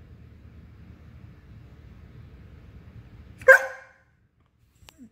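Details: A German Shepherd that wants to play gives one sharp, loud bark after several seconds of low background rumble. Near silence follows, broken only by a faint tap at the very end.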